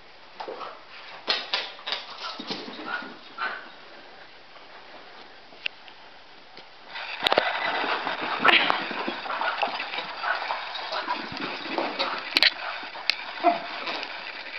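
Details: Two pet dogs playing: Chauncey, a Cockapoo, and Murphy, a Scottie mix. Irregular rough growls and whimpering whines, with a loud, noisy scuffle building midway and a person's voice urging them on.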